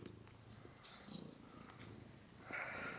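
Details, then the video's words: Domestic cat Woody purring in a small room, contented while being fussed over; a continuous, even low-pitched rumble with rapid pulsing, lightly overlaid by scattered rustling and small clicks. "Purring Woodcat"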